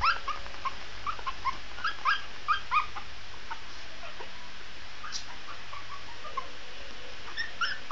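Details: A Shih Tzu puppy, described as howling, gives a run of thin, high, wavering whines in short bursts.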